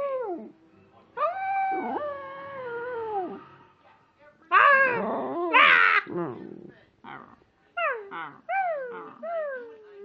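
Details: Poppy the pet dog gives a sustained howl that wavers and then falls away, followed by a loud burst of broadband noise, possibly human voices, in the middle and then several shorter descending howls toward the end.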